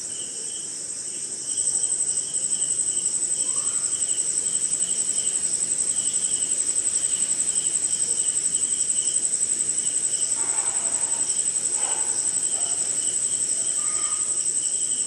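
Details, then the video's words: Crickets and other insects at night during rain somewhere in India: a steady high shrill band with pulsed chirps just above, louder after the first two seconds, plus faint brief lower calls near the end. "Sleeping Night in Jungle - Cricket & Swamp!"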